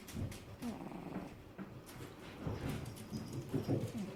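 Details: Sleeping cat snoring, recorded from extremely close up indoors: soft, rhythmic rumbling breaths, uneven bursts of low purr-like snorting rising and falling every second or so.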